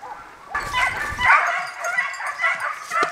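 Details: Segugio Italiano hounds barking while hunting hare in Italy; loud, harsh barks break in after a half-second pause, then several overlapping yelping barks follow one another without a break.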